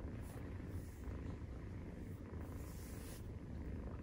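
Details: Maine Coon cat purring during nursing, 43 days after birth, recorded indoors; a steady low rumble fills the clip without pause, with faint hiss above.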